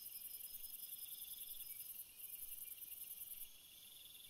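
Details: Crickets at night produce dense, very high trilling with rapid pulsing. The top band cuts out briefly midway and again near the end, while lower trills keep going.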